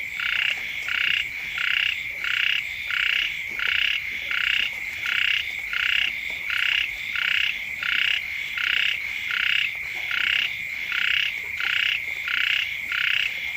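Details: Frogs croak near a home at the start of the rains. About nineteen rasping, buzzy bursts come in a steady rhythm, each under half a second long, backed by a continuous high-pitched whine.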